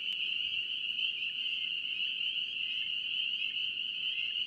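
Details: North Carolina spring peeper frogs in full chorus, countless piercing high peeps overlapping into a continuous bright trill that never pauses, steady in loudness from start to end.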